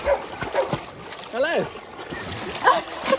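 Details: Vizsla dogs Rodney and Hugo swimming in a pool at a dog farm, Hugo newly learning to swim; a short rising-falling whine near the middle over splashing water and a man's encouraging speech.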